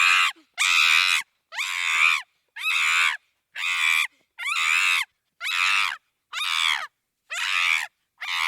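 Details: A chimpanzee screams in a fast, regular series of piercing, hoarse cries, about ten in eight seconds, each burst rough and wavering, with clean silence between them.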